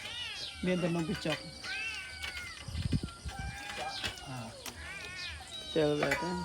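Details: Cat meowing in several drawn-out, wavering cries with rising then falling pitch, spaced through the recording, while people talk nearby and a low thumping sounds in the middle.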